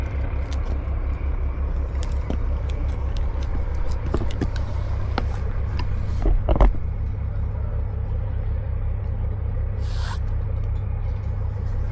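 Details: A deep, pulsing engine rumble runs throughout, with scattered sharp clicks and knocks and a brief hiss of released air near the ten-second mark, and no animal voice heard.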